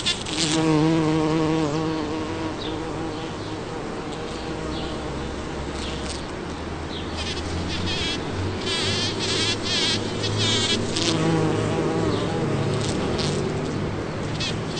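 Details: Bumblebee foraging on a Champlain rose in a back yard in Toronto, Ontario, on June 5, 2010: a loud, steady low buzz with rich harmonics, rising and falling in pitch as it moves, over bursts of rustling hiss.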